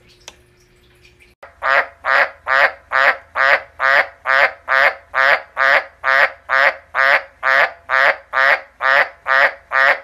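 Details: Pet frog calling in a steady series of loud, rasping croaks, about two per second and evenly spaced for over eight seconds, after a brief quiet start; its owner speaks before and after.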